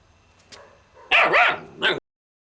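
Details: Alaskan Malamute puppy Kane lets out a loud, wavering, talkative yowl that dips and rises in pitch, ending with a short higher yip.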